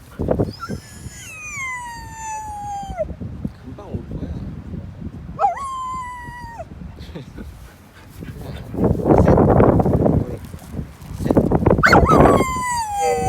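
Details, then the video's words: Jindo dog at home howling while its owner is out at the grocery store buying cat food: long drawn-out harmonic howls sliding downward, one lasting over two seconds and a shorter one after, with a third starting near the end; speech and background noise between them. "A dog howling during mom goes to grocery store"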